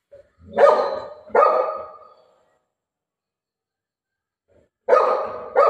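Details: Pet golden retriever named Buzo, playing with its owner, called mom, during a prank at home. Four loud, harsh barks: two in quick succession at the start, a pause of about two and a half seconds, then two more close together.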